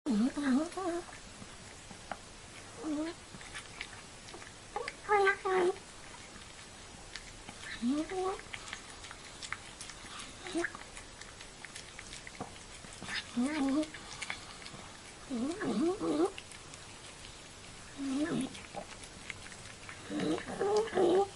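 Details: Old cat eating indoors: wet clicking chews and smacks run through the clip, broken by short low murmuring mews and grumbles that bend upward, coming every two to three seconds in a quiet small room.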